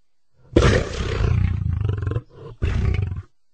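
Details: Lion letting out a deep, rasping roar lasting almost two seconds with a throbbing pulsed texture, a quieter breath, then a second rough roar.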